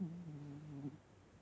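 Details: Vaska, a domestic cat, snoring loudly while asleep: one low, drawn-out droning breath with a steady humming tone that lasts about a second, then fades into quiet room air.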